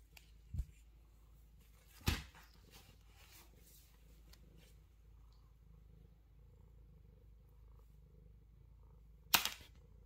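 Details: Male Scottish Straight cat purring, a soft, steady low rumble running through the whole recording, broken by three sharp knocking clicks near the start, at two seconds and near the end.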